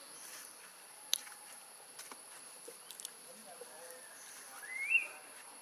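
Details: Newborn baby macaque in Siem Reap Province, crying loudly from hunger for milk after being kept away by Tarzanna for a long time. Near the end comes a single rising, squealing wail, over a steady high hiss and faint clicks.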